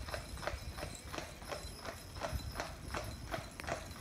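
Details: Two Clydesdales driven as a pair in harness by their owner, visiting from Scotland; steady clip-clop of hooves on a hard surface, several beats per second, with a light background hiss.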